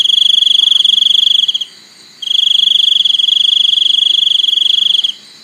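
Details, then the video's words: A cricket trills shrilly on one steady high pitch, rapidly pulsed, stops briefly after about one and a half seconds, then resumes for three more seconds before falling silent. "សំឡេងសត្វចង្រិត ។ Crickets sound"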